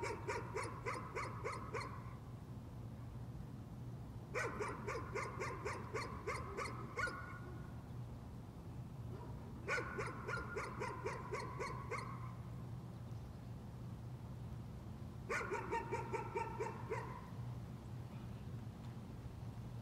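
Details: Persistent nuisance barking by a dog: four bouts of rapid, high-pitched yapping, each lasting about two to three seconds, spaced by quiet gaps over a steady low background hum.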